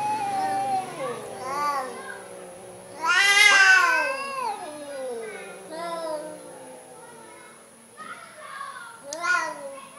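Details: Orange cat in a compilation of timid cats giving a series of plaintive meows, one loud and sharply arched in the middle, with other overlapping voice-like sounds and a steady high whine.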